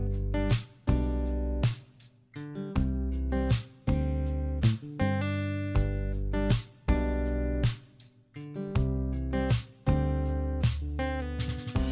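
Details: Strummed acoustic guitar music plays in a steady rhythm, with no animal sound heard.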